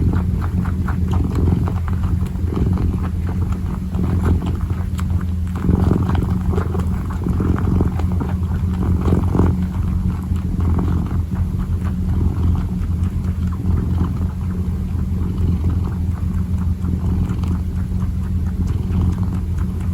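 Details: A kneading kitten keeps up a long, even purr, a deep droning rumble. Intermittent soft scratching and tapping sounds lie over it.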